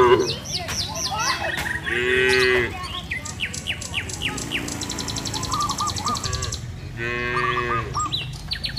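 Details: Cows wandering a village field, lowing to call companions back to the barn: two short bellowing moos several seconds apart amid frequent high chirps and twitters from birds and a constant low background hum.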